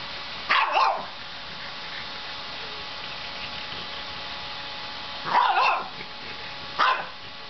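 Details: Young French Bulldog, a year and a half old, barks at a vacuum cleaner: a sharp double bark early, then a longer bark after five seconds and a single yap near seven, all against continuous vacuum motor hum.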